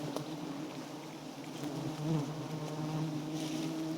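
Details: Wild giant honey bees at a small white nest, a steady low droning hum with a faint higher harmonic band, fairly even loudness throughout.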